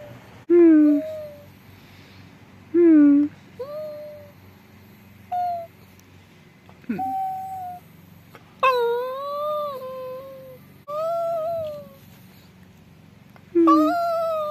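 A Cavalier King Charles Spaniel gives high, tonal whines and moans, some rising and some falling, at irregular intervals.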